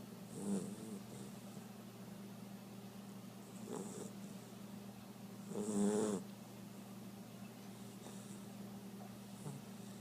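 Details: Dusty, a 2-month-old blue Great Dane puppy, snoring during a morning nap: two louder raspy breaths near the start and middle with fainter ones between, over a steady low indoor hum.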